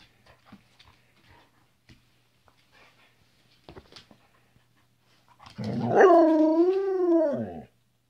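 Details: A female Flat-coated Retriever, kept as a pet indoors, talking to her owners with a drawn-out vocal 'rooo' that wavers up and down in pitch for about two seconds, preceded by quiet rustling and sniffing sounds.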